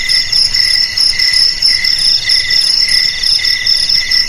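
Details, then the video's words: Cricket chirps meant to frighten rats away: piercing, bell-like pulsed trills in short bursts repeating roughly every half second, overlapping callers forming a steady ringing chorus. "Suara JANGKRIK Pengusir TIKUS"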